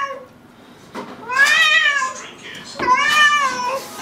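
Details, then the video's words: Domestic cat meowing indoors, apparently upset about a bathtub: two long, drawn-out harmonic meows, each rising then falling, with a faint short sound before them and a person speaking around them. "Funny Cats Meowing ★ Meowing Cats Compilation"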